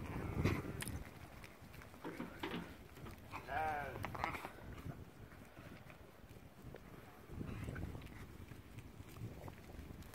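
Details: Sheep and lambs on Ewetopia Farms, the lambs suddenly running back to the barn; one wavering, quavering bleat rises midway through, set against low rumbling thumps, wind buffeting the microphone and faint voices.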